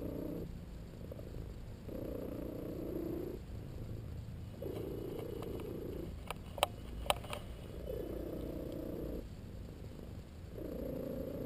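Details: Domestic cat purring while napping and enjoying a massage; purr comes in long squeaky, whistle-like phases, each about 1.5 seconds, separated by short pauses, with a few faint clicks midway.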